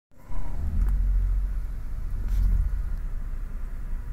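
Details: A deep, steady engine rumble from inside a vehicle carries through, with no barking or other animal sounds.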